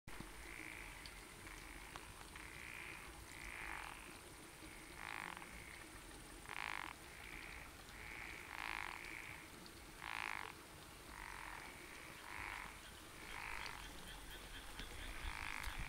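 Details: Frogs calling on a summer night by rice fields give short, raspy croaks in quick overlapping bursts, about one a second, some voices louder, over a constant low hum and faint high insect-like whine.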